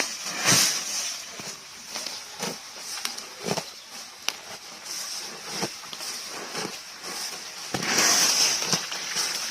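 A water buffalo grazes, its grass-tearing and chewing heard as irregular crisp crackles and snaps.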